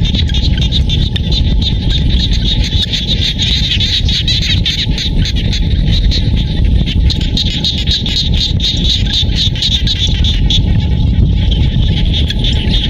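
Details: Frogs calling in rice-field countryside near Siem Reap, Cambodia: a dense, steady chorus of rapid, pulsed high-pitched trills that never lets up. Low rumbling background noise runs underneath throughout.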